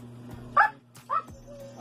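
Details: Sky, a Siberian Husky, barking to answer addition sums as a trick: two short barks about half a second apart, with a steady low hum and a faint voice underneath.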